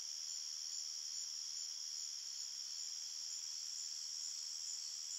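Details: Crickets chirping at night in a forest: a dense, steady, high-pitched trilling chorus with several layered bands of sound, unbroken throughout, and no other animals or people heard.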